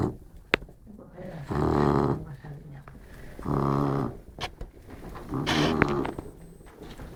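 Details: A sleeping Labrador Retriever named Modesto gives three rough, harmonic snoring breaths, each roughly a second long and spaced about two seconds apart, with quiet breathing and light clicks between them.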